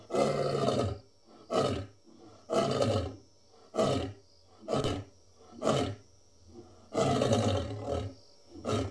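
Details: Deep lion roar sequence of rapid grunting bursts, about eight in nine seconds, each low and rough with a falling tone, steady and loud throughout.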